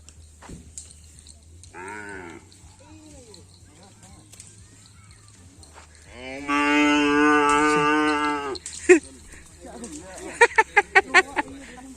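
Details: Cattle at a karapan sapi (bull racing) practice session on the Asemanis field, Pamekasan: a brief nasal moan near the start, then one loud, long, harmonic-rich moo lasting over two seconds, followed by a string of sharp knocks.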